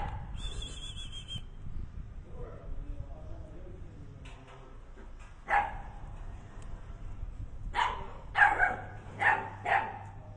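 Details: Xiasi dog at a rural breeder in Sichuan, China: after a quiet, murmuring start, short hoarse barks come in an irregular burst of about five, some doubled, over low background rumble.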